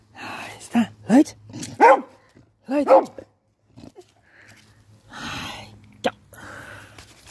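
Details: During nose training, the beagle Bailey barks to indicate his hidden dinner, set at a height, has been found: a series of short, sharp barks at uneven intervals, mixed with people talking and some handling noise.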